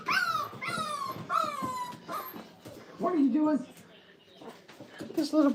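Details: A few drawn-out, sliding whimpers from five-week-old Brittany puppies in a crate, high and falling, then lower, wavering moans after a pause, heard indoors.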